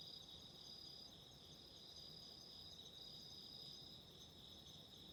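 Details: Autumn insects calling, paired with a candle flame for relaxation and sleep: a steady, unbroken high-pitched ringing in two close bands, with a dense low crackling rumble underneath throughout.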